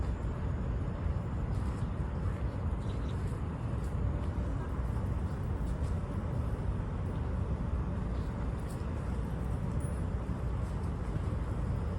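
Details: Loud steady vehicle rumble dominates, like riding in a car or bus, with faint distant voices and no animal sound.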